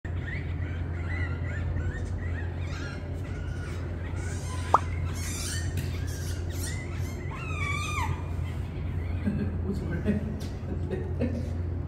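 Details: Captive otters at a registered small zoo in Gyeongsan, South Korea, as mother otter Mocha brings her pups to the family; thin, high chirps and squeaky whistled calls, some wavering and falling in pitch, a cluster of sharp squeals midway, over a steady low hum.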